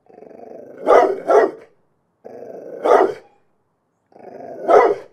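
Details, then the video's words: Dog from a barking compilation giving a low rumbling growl that breaks into loud barks, first a quick double bark, then single barks, repeating about every two seconds. "Dogs Barking for 12 hours"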